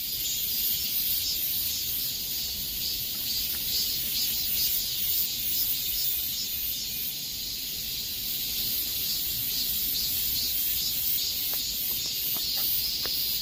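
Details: Cicadas singing in summer heat: a dense, steady high-pitched buzzing drone with faint pulsing, continuous throughout, a few soft clicks near the end and no other clear sounds.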